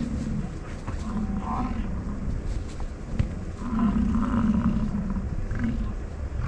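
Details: Rutting American bison, Grand Teton, Jackson Hole and Yellowstone region, on a morning of chasing, fighting and mating; low, growling roars in drawn-out bursts of one to two seconds, the loudest near the end, with a constant low rumble behind.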